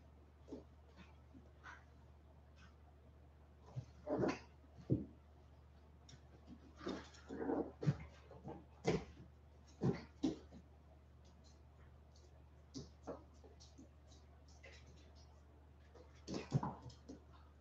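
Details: Litter of 47-day-old West Highland White Terrier puppies after an outdoor break: scattered short whimpers, soft growly yelps and squeaks in irregular bursts, mixed with clicking and rustling over a steady low hum.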